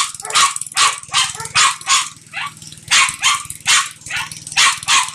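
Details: Playing American Bulldog producing rhythmic, airy, hissing huffs, about two per second, each burst short and rough, over a faint steady low hum.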